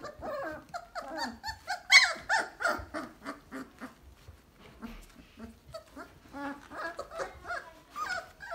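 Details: Basset Hound puppies, a litter aged 3 weeks and 2 days, whimper and squeal in a whelping box in a rapid, overlapping chorus of thin, high cries.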